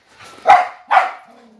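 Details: Dog barking loudly out of fear of another dog: two harsh, forceful barks about half a second apart, each fading quickly, with a faint low hum afterward.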